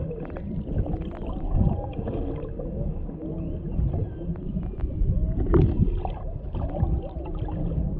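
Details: Mother and calf humpback whales near a boat off Maui, Hawaii, a male nearby, recorded underwater with a GoPro camera's basic microphone; faint wavering moans and short whoops sit under heavy low gurgling water noise and clicks.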